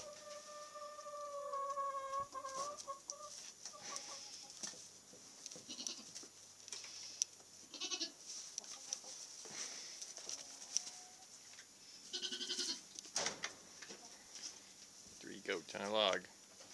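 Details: Nigerian Dwarf goat kids about two weeks old, kept with a Great Pyrenees dog: one long, steady, slightly wavering bleat over the first three seconds, followed by rustling, handling noise and a person talking.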